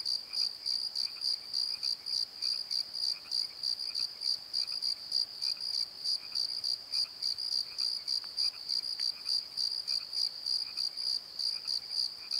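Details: Crickets at night in a Pozo valley bottom: loud, high, regular chirp pulses roughly every quarter second, and a quieter, lower chirping from another insect scattered through the background.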